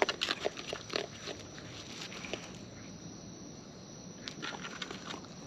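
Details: Raccoons in the wild feeding at close range; a dense flurry of wet crunching and clicking bites in the first second and a half, then quieter chewing with a few more crunches near the end, against faint background hiss.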